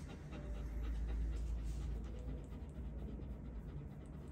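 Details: Dog visiting the vet, panting rapidly at about four breaths per second over a deep low rumble.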